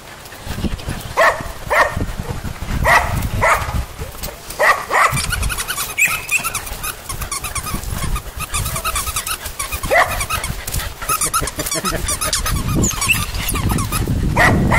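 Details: Repeated bright yelps from puppies come in quick bursts early on, then fade into steady rustling and hissy background noise.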